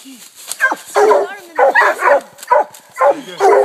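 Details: Hounds treeing a raccoon, an 8-month walker pup among them with an 18-month blue tick and a black and tan; rapid, overlapping chop barks about twice per second with some whining notes between.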